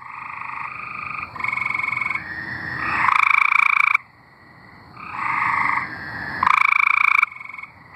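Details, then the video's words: Tree frogs in Arkansas sing a chorus of rapid pulsed trills, several frogs overlapping, with a loud harsh trill bursting in twice and brief quiet gaps between bouts. "Singing tree frogs"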